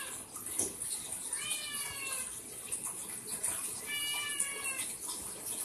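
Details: Domestic cat giving two separate long, tonal meows, well spaced, against a constant high hiss like running water.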